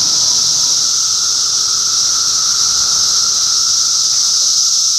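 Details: Cicadas massed in Middlesex County, New Jersey, in June 2013, their chorus a continuous dense high-pitched hiss that never breaks, with a steady thinner whine beneath it, unchanging for the whole stretch.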